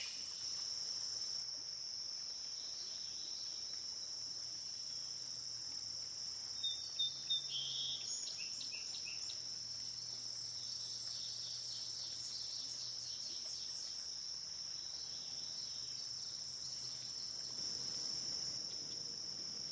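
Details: Cicada chorus from a dusk-to-dawn recording on the Licking River at Morning View: a steady, high, unbroken hiss-like drone, with a short burst of faint descending chirps near the middle.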